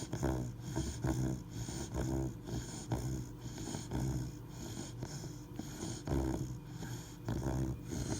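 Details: A sleeping Labrador Retriever puppy, three months old, snores steadily: deep, raspy, vibrating breaths repeating roughly every second, with slightly louder snorts now and then.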